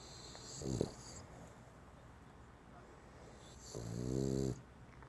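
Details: A dog snoring: two low, rumbling snore breaths about three seconds apart, the second longer and louder, with soft wheezy hiss between them in a quiet room.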